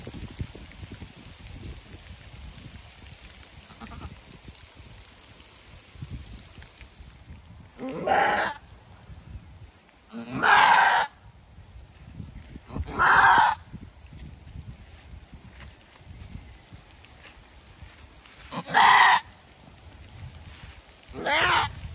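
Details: Female goat in labour, her first birth, hard going with only one kid born; five loud hoarse screams spread irregularly over about fourteen seconds, each under a second, with low background rumble between cries.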